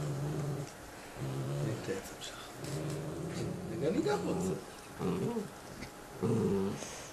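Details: Pair of domestic dogs eating bones and growling at one another indoors; low rumbling growls alternate with higher, rising whiny sounds and gnawing noises, in uneven bursts.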